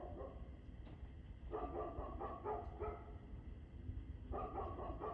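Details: Dog barking at 6:02pm on 2 February 2024, a quick irregular run of harsh barks, roughly four per second at times, with a brief pause before a final bark, set against constant low-frequency hum.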